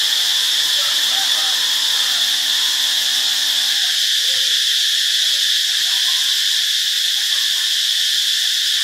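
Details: Cicadas at Ubon Ratchathani, Thailand, on 15 March 2021, fill the air with a loud, unbroken, high-pitched buzzing drone.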